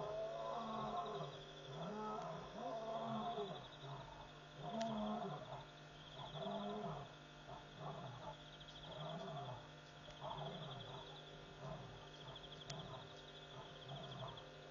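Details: Night calling by wild lions at a waterhole, Pete's Pond, Mashatu Game Reserve, Botswana, after midnight; rhythmic low grunts about every one and a half seconds, fairly distant, with pulsing insects and a steady hum.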